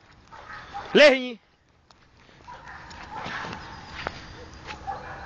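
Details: Pit Bull in Czech defence and obedience training, barking on command: one loud harmonic bark rising then falling near the first second, followed by quiet with low rustling background noise.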